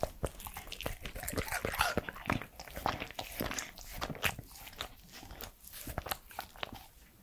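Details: Three-year-old Pembroke Welsh Corgi Edmundo chewing food up close indoors: a steady, rapid run of sharp crunches and smacking mouth clicks, several per second, loud throughout.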